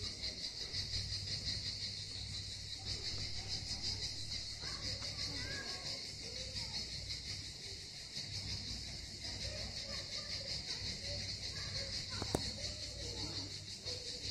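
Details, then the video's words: Continuous high-pitched cicada chorus at Miskhor harbour near Yalta, on Crimea's southern coast. The dense rasping drone holds steady, while people talk in the background over a low engine-like hum and a sharp click near the end. "Пение Цикад"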